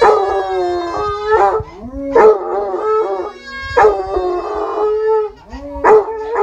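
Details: Basset Hounds howling because a baby is crying, sustained harmonic howls holding steady then dipping, with abrupt higher yips starting each new phrase about every one and a half seconds.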